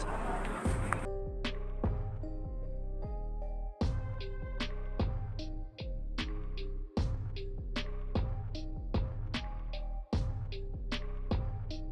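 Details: Upbeat background music with bright plucked notes, heavy bass and regular percussive beats, briefly opening with a burst of noise, and no animal sound.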